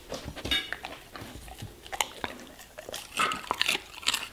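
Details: Indoors, a German Shepherd eats vegetables and fruits. Steady crunching bites and chewing come in quick succession, with brief thin tonal squeaks among the crunches.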